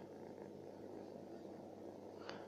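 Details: Street-living stray cat, a female that came back on a visit and is staying the night, gives a steady low rumbling purr throughout, with one sharp brief tick near the end.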